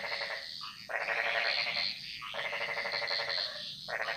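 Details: Frogs singing a chorus in the jungles of Bali; a dense pulsed rattle runs in long bursts of about one and a half seconds with brief gaps, layered over a thin high whistling tone and steady background hum.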